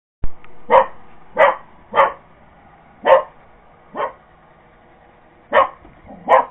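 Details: Purebred Cocker Spaniel going after a robot vacuum cleaner indoors; seven sharp, punchy barks spaced irregularly about half a second to a second and a half apart, with a faint motor hum underneath.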